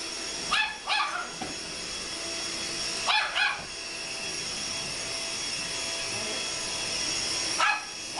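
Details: Pet Chihuahua going wild at a running vacuum cleaner, loosing shrill clipped yaps in quick pairs and triplets separated by a couple of seconds, constant high vacuum motor noise throughout.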